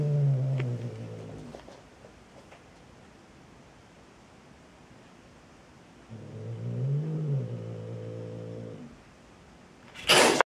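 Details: Frightened cat giving two drawn-out, low, harmonic growling moans, the first about a second and a half long, the second nearly three seconds with a slight rise and fall in the middle, then a sudden loud crackling noise at the end.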